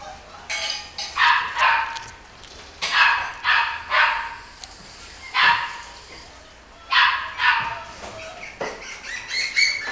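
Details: Small Chihuahua and Miniature Dachshund cross barking in short high yaps, singly and in pairs, about nine over ten seconds with brief pauses between bursts, ending with a few thin whining tones.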